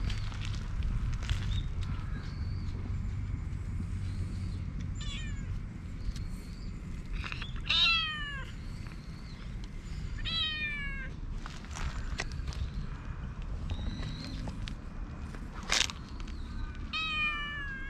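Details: A calico cat whose cute cries bring a black cat to join it: about four short meows spaced through the recording, each sliding downward in pitch, amid a steady low rumble and occasional sharp clicks.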